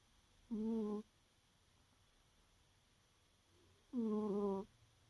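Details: Sleeping pet cat Peru, tired out, snoring: two tonal, harmonic breath sounds about half a second long, spaced roughly three and a half seconds apart, with a quiet background between them.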